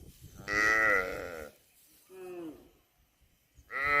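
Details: Cattle calling in three moos: a loud one-second harmonic bellow, a softer falling moo after a pause, then another strong moo starting at the end, with near silence between.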